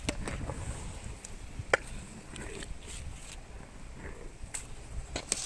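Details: Elephant named Meri eating sugarcane, ASMR-style close listening: sharp crunching snaps and cracks scattered irregularly through the chewing over a steady low rumbling background.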